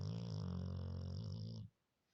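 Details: Labrador Retriever asleep, snoring very loudly in a humanlike way: one deep, steady droning snore about 1.7 seconds long that stops abruptly, followed by silence.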